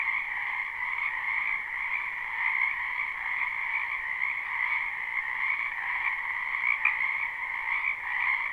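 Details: Many wild frogs croaking in a spring wetland behind a house, recorded live: a dense, unbroken chorus of overlapping trilling calls, holding steady in a middle and a higher pitch band throughout, with no other sounds.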